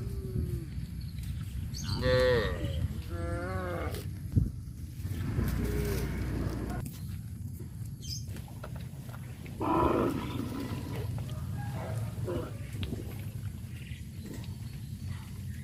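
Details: Cows in a village walking to a grazing field; two wavering moos early on, then a loud rasping low, with scattered fainter calls and constant low rumble of movement.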